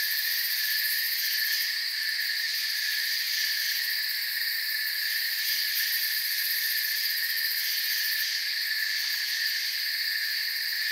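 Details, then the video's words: Steady cricket chorus in a forest, many insects chirping at once in a shrill, continuous layered drone. Brief brighter flickers appear near the top, and no voices, wind or other animals are heard. "Forest Sounds and Crickets"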